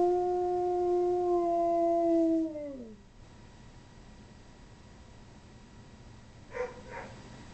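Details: Dog howling: one long, steady, tonal howl held for over two seconds, then sliding downward and fading out near the three-second mark. Near-silence follows, broken by a brief soft sound near the end.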